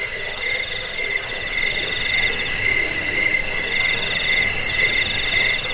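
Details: Trilling crickets meant to chase off rats, aid sleep and school songbirds; piercing pulsed chirps start loud, then the highest voice drops away, leaving a steadier, lower shrill buzz.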